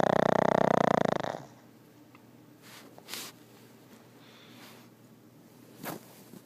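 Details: Loud pulsing snore from a sleeping pug for over a second, then low breathing with scattered soft clicks and rustling sounds.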